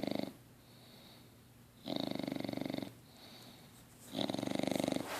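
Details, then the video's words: Sleeping English Bulldog puppy LuLu, six months old, snores in a small room; rattling, fluttery inhales about a second long alternate with softer whistly exhales, three loud snores in quick succession. "LuLu snoring!"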